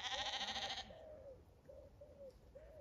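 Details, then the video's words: Lamb on the wrong side of a fence after escaping into another field on a farm in County Kilkenny, Ireland, giving one loud, wavering, nasal bleat, followed by several faint, short distant bleats. "sounds like there's a lamb on the wrong side of the fence oh look"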